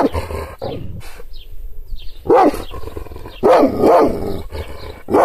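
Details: Kangal shepherd dog angered by arm gestures, no physical contact: a hoarse bark and low growl, a quieter pause, then three deep, loud barks close together near the end.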